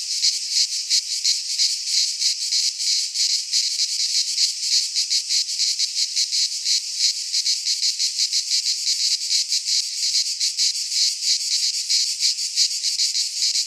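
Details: Chorus of cicadas in a Greek pine forest at midsummer, a loud unbroken shrill buzz pulsing in fast regular beats, high-pitched and grainy, with nothing else audible.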